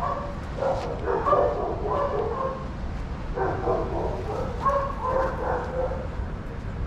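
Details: Shelter dogs at play in a daycare bark in two busy bouts of overlapping yips and barks, separated by a brief lull, with constant low background hum.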